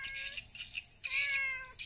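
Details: Domestic cat named Tiger catching rats in a rice field; two drawn-out tonal meows with bright stacked harmonics, the second longer and gently falling at its end, while people talk nearby.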